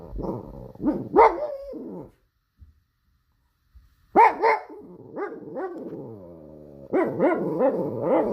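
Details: Pug dog giving rough, throaty barks mixed with growly notes, in clusters of three or four, a two-second pause, then repeated barks that run together into a gruff, growling series.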